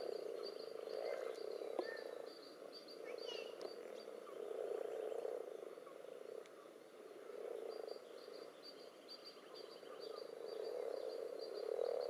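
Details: Common toads and assorted frogs massing in a pond during spawning, spawn strings and clumps present: continuous low, throaty croaking chorus rising and falling, plus bursts of fast high-pitched clicking trills and a few brief whistle-like notes.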